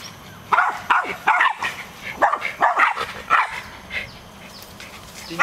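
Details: Several West Highland White Terriers bark at a monkey in sharp, high-pitched yaps, fired off in quick clusters with brief pauses, short and excited, sometimes doubling up, with a slight whining edge between bursts.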